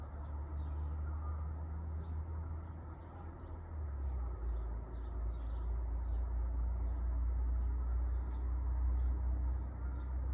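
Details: Field recording of cicadas amid trees, wind and light traffic; their thin, continuous high buzz runs without pause across the clip while deep traffic rumble swells underneath and soft scattered chirps pulse faintly.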